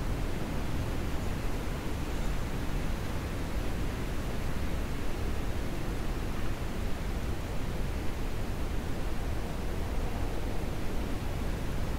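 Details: A steady, low rumbling hiss of ambient noise with no animal voice.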